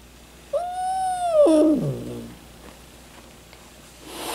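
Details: Domestic cat making noises described as funny hissing: a steady tonal wail held about one second, then sliding down into a lower, rough, wavering growl, with a faint rustle at the end.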